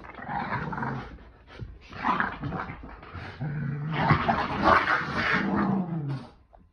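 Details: Two dogs, a Boston Terrier and a Keeshond, playing tug with a chili pepper toy: deep rumbling growls in long sustained stretches, rising into louder, rougher bursts midway, with snuffling and scuffling between.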